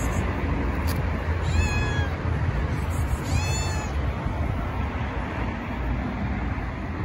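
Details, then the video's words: A hungry female stray tabby cat gives two drawn-out, wavering meows while begging for food over a low background rumble. "Tabby Cat Meowing Loudly for Food. She is Starving."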